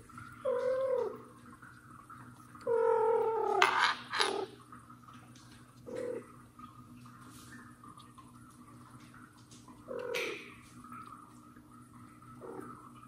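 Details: Annoyed mother cat pulling at her hiding kitten Mosya, adopted kitten Johnny close by: two drawn-out meows early, then a sharp higher cry and a few short, faint mews with rustling between.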